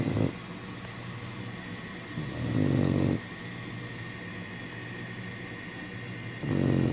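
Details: Black Labrador Retriever puppy named Remi asleep and snoring; low rasping breaths in long swells, one at the start, one near two and a half seconds, another past six seconds, over a steady background hum.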